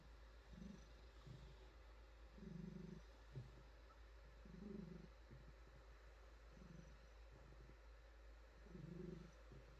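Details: Female pet cat purring contentedly under gentle petting, a deep vibrating rumble that comes in rhythmic swells every couple of seconds, five or so louder phases, with light rustling of fur.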